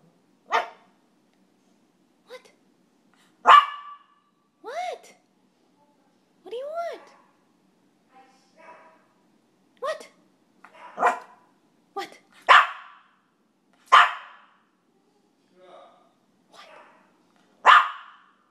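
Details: A two-year-old, five-pound female Maltese barking back and forth with a dog downstairs; sharp single barks at irregular gaps, a few with whiny rising-falling tails, some quieter distant barks between, over near silence.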